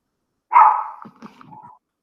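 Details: Pet dog interrupting an online religion lesson with a single loud, sharp bark, followed by a teacher's voice talking.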